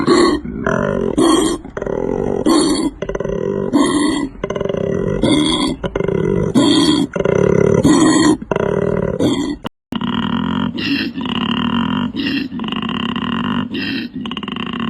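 A koala gives deep, rasping snoring grunts, repeated in rhythmic bursts.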